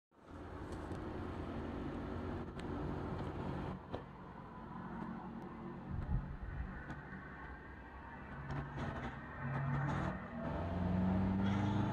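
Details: Outdoor road traffic rumble with a passing vehicle and a few knocks, without any animal calls.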